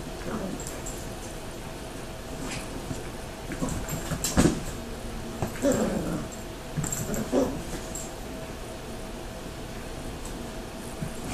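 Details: Bruce, a baby Miniature Dachshund, playing with Mouse, a Teacup Yorkshire Terrier; scattered short whimpers and yips with scuffling, a few louder bursts near the middle and later, faint human voice in the background.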